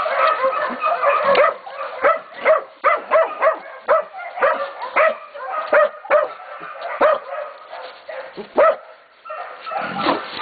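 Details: Young Catahoula and Black Mouth Cur pups, 11 to 16 weeks old, holding a pig at bay at Golden Creek Catahoulas Kennel; steady rapid chorus of high, ringing barks roughly every half second, several voices overlapping with brief pauses.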